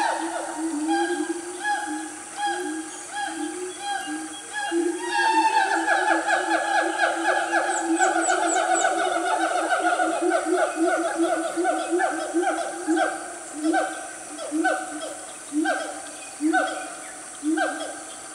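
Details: Loud siamang family, Gunung Nuang forest in Selangor, Malaysia, at about 10 am; steady hoots give way to a rapid accelerating series of swooping, harmonic calls from several animals, then slower pulsed booming notes.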